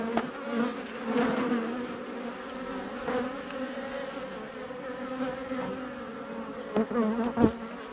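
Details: Honey bees of a colony removed from inside a wall during a cutout, a hive active about two years: continuous droning hum with layered tones, occasional thumps and clicks near the end.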